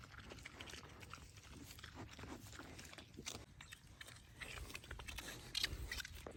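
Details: Farm piglets, two of them, feeding on treats: busy crunching and chomping clicks, occasional soft grunts, and a brief sharper squeaky burst toward the end.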